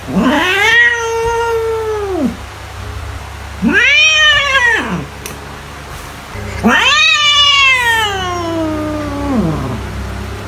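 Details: Domestic cat giving three long, wailing meows meant to scare off mice, each rising then falling, the last one drawn out and sliding down, spaced a few seconds apart over a low hum.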